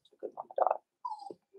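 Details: Four-week-old Cavalier King Charles Spaniel puppies in an indoor puppy pen: a short, thin, whining whimper that slides gently downward, after a burst of soft, jumbled vocal sounds.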